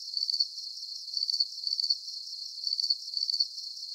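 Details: Shrill cricket chirps, each a short buzzy trill of rapid pulses, repeating in quick pairs with brief pauses between, heard alone in a soothing nature track for sleep.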